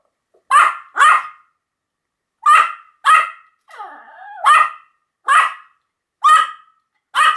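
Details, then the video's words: Sharp Pomeranian barks arrive singly and in quick pairs about every second, with one drawn-out whining yelp partway through; no other sounds intrude. "犬の鳴き声 ポメラニアン 1000回吠え Dog sound effect"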